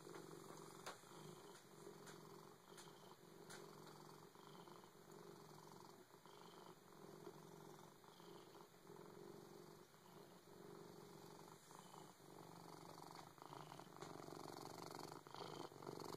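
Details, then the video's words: Siamese cat purring very loudly, a continuous close rumbling drone that swells and fades with each breath, about two cycles a second, with a faint steady hiss behind it. "Siamese cat extreme purr"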